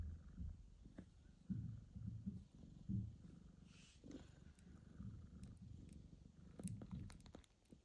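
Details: Newborn kitten Michael's mother, the cat Mosya, meets him for the first time following a difficult birth, surgery and days at the vet. A low, throbbing purr pulses steadily, broken by rustles and light clicking near the end.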